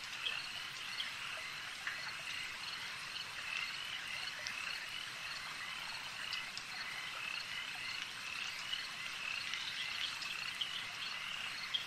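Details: Lakeside frogs in full chorus: a constant high trilling hum, with short sharp clicks and chirps rising above it every few seconds.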